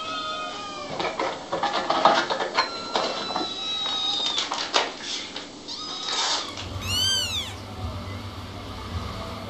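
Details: Kittens meowing: one high, arched, wavering meow near the end, after clattering and other scattered background sounds over a steady low hum.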